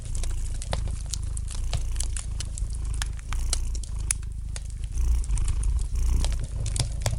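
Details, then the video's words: Domestic cat purring gently beside a fireplace, a steady low rumble that swells and eases with each breath, overlaid with frequent sharp crackles and pops from the fire. "Relax to the gentle purring of the cat and the light crackling of the fire in the fireplace!"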